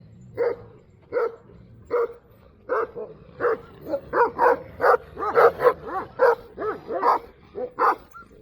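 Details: Duman, an old-type Kangal dog, barking in a steady series of deep, resonant barks, spaced under a second apart at first and then coming faster and louder toward the end, with little other sound.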